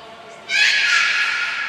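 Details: Beluga training session with Gray, Nana and Mirai at Port of Nagoya Public Aquarium, June 7, 2022; a sudden loud, harmonic-rich squeal begins after a short pause and holds steady, echoing in an indoor space.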